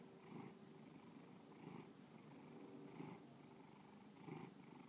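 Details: Domestic cat named Bubba purring steadily indoors, a low continuous rumble that swells roughly every 1.3 seconds with each breath, bursts near 0.4, 1.7, 3.0 and 4.3 seconds, quiet room with no other sounds.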